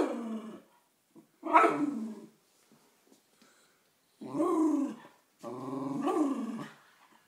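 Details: An angry West Highland White Terrier reacts to a birthday card showing a Westie. A short growling grumble leads into one sharp bark, then two long, moaning, wavering growls of about a second each.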